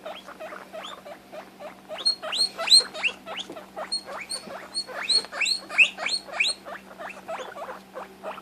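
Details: Guinea pig distressed at losing sight of her sister, calling insistently; rapid series of rising squeaks roughly three a second, growing louder with shrill high whistles in the middle stretch.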